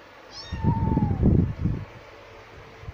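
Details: One of two kittens, a male and a female, lets out a single drawn-out high meow that eases downward, overlapped by heavy low rumbling bumps.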